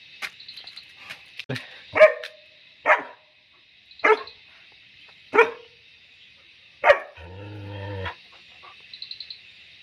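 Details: German Shepherd puppy being trained: five clipped barks roughly a second apart, followed by a brief whine-like sound and some voice.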